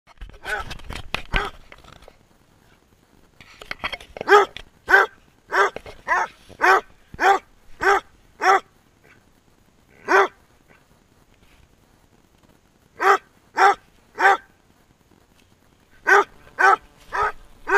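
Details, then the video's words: A Basset Hound barks while running, giving loud, deep, rhythmic barks in short bursts with brief pauses between. "basset hound barking and running"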